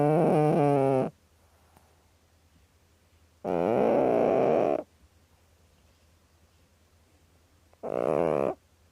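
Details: A snoring cat making three rough, buzzing, harmonic breaths, each about one to one and a half seconds long, spaced a few seconds apart, over a steady low electrical hum.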